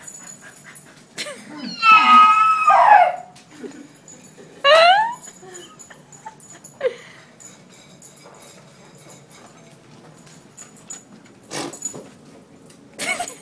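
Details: Lucy, a pet dog who will only eat when a horse noise is made, gives drawn-out high whining cries rising and falling, two long bursts then shorter yelps, indoors in a small room with speech and clatter.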